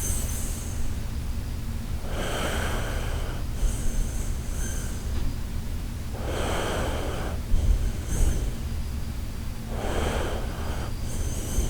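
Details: Shiba Inu named Koharu asleep and snoring, soft breathy rasping bursts returning every two to four seconds over a steady low hum, some drawn out for over a second, others short snorts.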